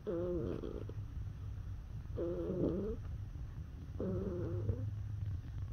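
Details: Neutered male cat, born September 2017, making sounds when stroked: three clear rolling trills with wavering pitch, about two seconds apart, backed by a strong low-pitched purr throughout.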